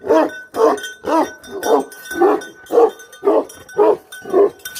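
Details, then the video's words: Rapid barking from a Bhote Kukur guardian dog: nine full, rough barks in under five seconds at an even pace, with a thin chime-like ringing tone behind them. "Guardian Dog Barking Sound || Best Guardian Dog || BhoteKukur"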